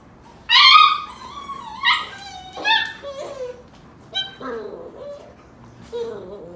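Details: Golden Retriever mother wrestling with her puppies indoors, teaching them to toughen up; a loud high whine opens, then several shorter rising and falling whimpers with long pauses, in a quiet small room.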